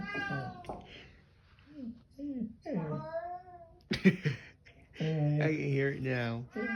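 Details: Vocal Bengal cat meowing repeatedly indoors: short chirping mews followed by a long, loud, whining meow that holds steady and then bends down, with human voices in between.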